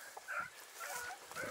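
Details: Dachshunds on a driven fox hunt in Victoria, 23 October 2022: a distant pack gives drawn-out, ringing yelps that overlap and rise and fall, with rustling vegetation between the cries.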